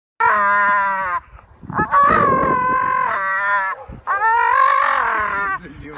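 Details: Pit bull dog dangling from a tree branch by its teeth outdoors, growling and screaming: three long, strained, harmonic wails with wavering pitch, separated by short breaks and harsh breathy noise.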